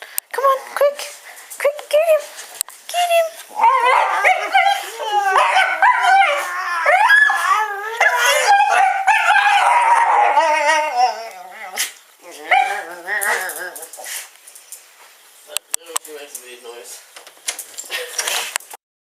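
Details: Pet dog Asuka urged on as a wake-up call, letting out dense, wavering, yowling barks and yips in rapid bursts for most of the stretch, tapering to scattered yelps, with a person's excited urging voice throughout indoors.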